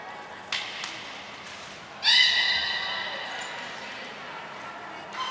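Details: Beluga training session with Gray, Nana and Mirai at Port of Nagoya Public Aquarium on June 7, 2022; after faint clicks, one loud steady harmonic whistle at about two seconds, fading slowly in a reverberant indoor space.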